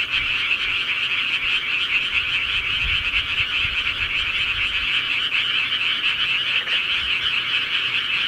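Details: At night in the countryside, many frogs call at once in an unbroken, buzzy, fairly high-pitched trilling chorus with no pauses between callers; frog.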